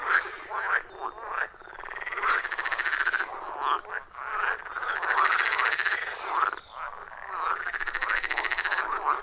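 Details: Wild frogs in a loud chorus around a forest pond, recorded deep in the forest on an iPhone 14 Pro with a Shure MV88+: overlapping rhythmic croaks and trills in bursts, with brief lulls between waves of calling.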